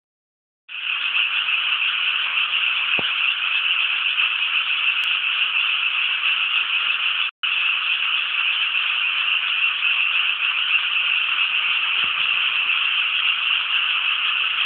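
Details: Frog chorus from rice paddies around Inasato in Nagano City, Japan: a dense, unbroken wall of rapid trilling croaks from many frogs, steady throughout with one brief cut in the middle.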